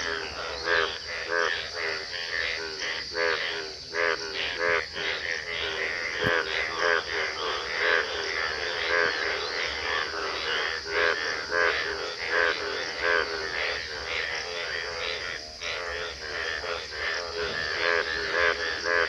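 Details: Frogs at Bhagwan Tara, Gobari, Pratapgarh, croaking in a busy chorus of harsh, stuttering trr trr calls roughly every second, loud and overlapping, with a continuous high insect buzz behind them.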